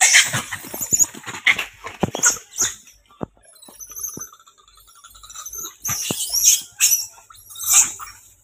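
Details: Fighting monkeys let out shrill, harsh squeals and screeches in repeated loud bursts, with a quieter gap midway before the shrieking picks up again.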